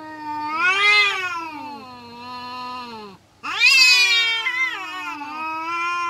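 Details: Fighting kampung cats, a strained howl rising to a shrill peak then drawling lower, a brief silence, then an abrupt loud screech that wavers and fades into a steady moan.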